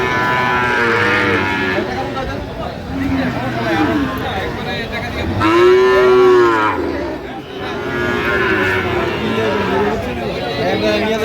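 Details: Sahiwal bull calves at a cattle market, bought by a farmer from Dhaka, on 3 October 2025: several overlapping, drawn-out, rising-and-falling moos, one loud clear moo near the middle, over crowd chatter and men talking.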